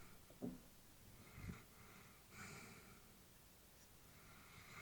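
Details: An elderly female Labrador Retriever breathes heavily while peacefully asleep indoors. Each breath is a low, rough snort or wheezy sniff, spaced irregularly about a second or more apart, close and quiet against a still hush.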